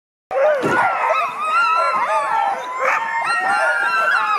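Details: Husky sled dogs on a sled safari in Russian Karelia: a dense pack chorus of overlapping high yelps and wavering howls, with sliding whines rising and falling throughout and sharp yips breaking through.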